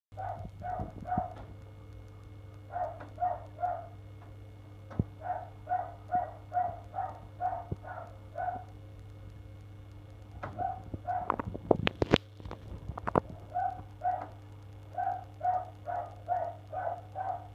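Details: Neighbours' dog barking on the first of February, going on for an hour in the morning; quick runs of sharp barks, about two per second, in bursts of four to eight with short gaps, a steady low hum and some clattering behind.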